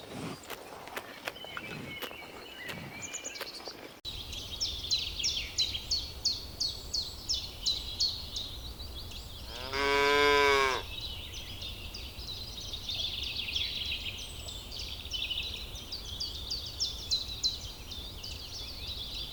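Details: Cow among ripening rice fields while grazing, heard as one short, loud, throaty moo midway, set against a steady backdrop of rapid, rhythmic high chirping from insects or birds across the fields.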